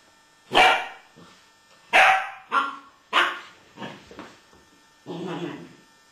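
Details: Malinois puppy trying to get an 11-year-old American Staffordshire Terrier to play: loud, rough barks in irregular bursts, two strong ones and a few softer yips, ending in a muffled, lower growly sound.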